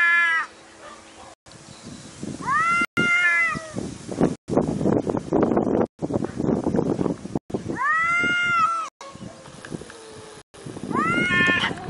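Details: Domestic cat meowing in several drawn-out, arching calls spaced a few seconds apart, each rich in harmonics, with rustling and shuffling noises filling the gaps between them.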